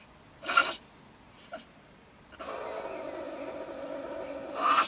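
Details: Bad-tempered female stone marten raving from a wood stack near a shed in Germany around 10 pm. A harsh burst and a faint click precede a sustained, rough, tonal snarl that swells at the end.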